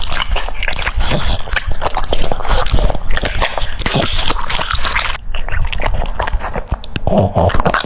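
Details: French Bulldog crunching cucumber with wet, dripping smacks and crisp bites, a short pause midway, then a faint low hum near the end.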